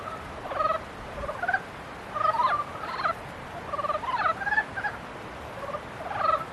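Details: Mating-season frogs calling in overlapping bouts of pulsed, reedy croaks, about thirty-four bursts a minute at an irregular pace, several voices answering one another.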